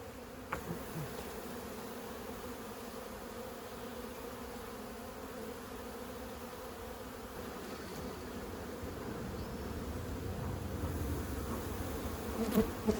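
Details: Honey bees from a 15-year-old house hive keep up a steady droning hum while smoke is used during the cut-out. The hum swells louder toward the end, with scattered clicks and knocks.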